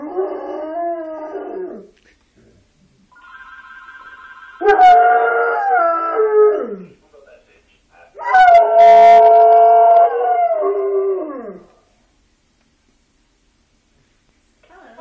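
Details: Yellow Labrador Retriever howling at an answering machine at home; three long sustained howls with rich harmonics, each sliding downward at the end, separated by pauses, with a faint tone between the first two.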